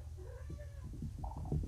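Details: Groggy young kitten just back from being neutered, still under pain medication, one of four abandoned litter-mates kept indoors; two soft, tonal meows, the first rising and thin, the second lower and longer, over a constant low hum.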